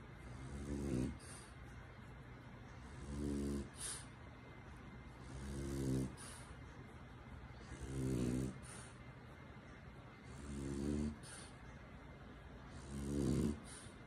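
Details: French Bulldog snoring comfortably while cuddled in its owner's arms; steady rhythm of low, buzzy, rattling snores about every two and a half seconds, each followed by a soft airy exhale, six snores in all.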